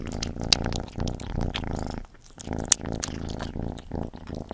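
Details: Gordy the cat at a meal: continuous low purring mixed with sharp chewing clicks and crunches, dropping to near quiet for a moment midway.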